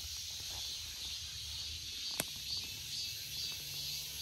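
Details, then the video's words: Cicada giving a constant sizzling high-pitched whine, even in loudness, with a single brief click midway and low hum beneath. "Cicada 매미"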